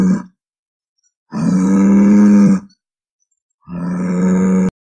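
A bison gives deep, drawn-out grunting bellows, each about a second long, separated by pauses.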